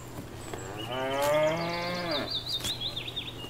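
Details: Cow in a grazing field lets out a single sustained, harmonic moo lasting about a second, while a bird whistles high wavering notes over and after it.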